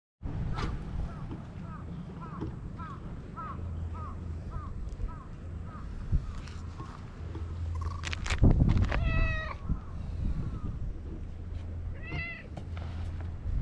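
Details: Stray white cat in Japan, living on harbour tetrapods near anglers, beside another cat: a clear rising-falling meow near eight seconds and a shorter one near twelve, over a steady low hum and faint soft ticking sounds.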